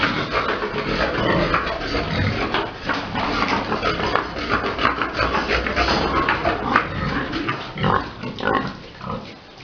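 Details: On a pig farm during breeding, a big boar with a sow: steady loud overlapping grunting and squealing, coarse and noisy, pulsing in short bursts with hardly any pause.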